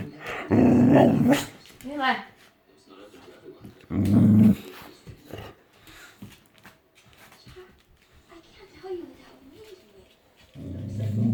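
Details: Female Boxer dog throwing a sudden tantrum indoors, growling in low rumbling bursts with rising whiny grumbles, two strong bouts about three seconds apart, while a woman talks to her over faint music.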